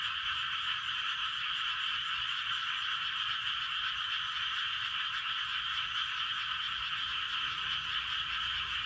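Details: Frogs chorusing in a rice field at night in Gapyeong, Korea, near 11:19 pm, a thick sustained mass of rapid croaks forming a constant high hum with faint low rumble underneath.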